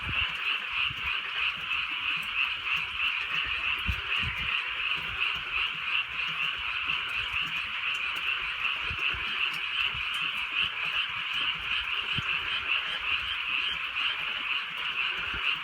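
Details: Countryside frog chorus at night in light rain: many overlapping high croaks form a continuous trilling wall, pulsing quickly and unevenly, with faint low thumps of rain in the background.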